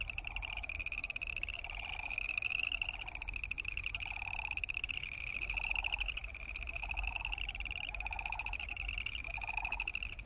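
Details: Boreal chorus frogs give rasping, pulsed trills like a fingernail run along a comb, overlapping steadily; Wilson's snipe wing sounds and sandhill crane calls are also present.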